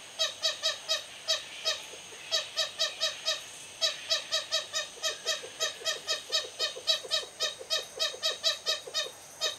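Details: Two lesser galago families meeting at dusk on a roof path at Hoedspruit, South Africa: clipped, squeaky barking notes in uneven runs, some overlapping, separated by brief gaps.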